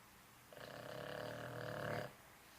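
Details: An old male Boston Terrier snoring indoors, one drawn-out raspy snore of about one and a half seconds with a steady buzzing tone, followed by quiet room noise.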